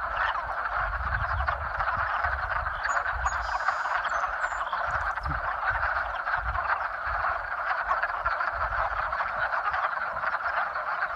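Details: Spring mating chorus of many frogs, continuous overlapping croaking that stays level and unbroken throughout, with soft low rumbles and bumps in the background.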